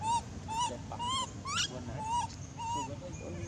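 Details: An abandoned monkey cries loudly in drawn-out, whistle-like wails that rise slightly at the end, repeated at short intervals, with one harsh upward-sweeping squeal in the middle over low background noise.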